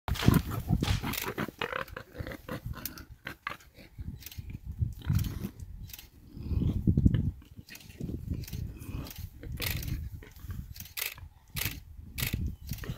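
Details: Warthog seized by a big male leopard, struggling hard before succumbing; deep, rough grunting bursts come loudest at the start and around seven seconds, with scuffling and rustling throughout the fight.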